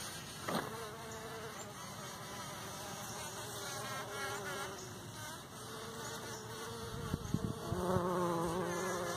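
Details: Morning chorus of bumblebees buzz pollinating partridge pea flowers, around ten bees: layered droning buzzes with shifting pitch, a few short taps and louder close buzzing toward the end.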